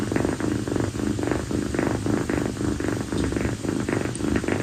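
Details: A rescued female calico kitten named Kii snuggles affectionately on her owner's feet at night after play, on a sweltering evening. Her steady, rumbling purr swells and fades in regular breathing cycles, about two per second.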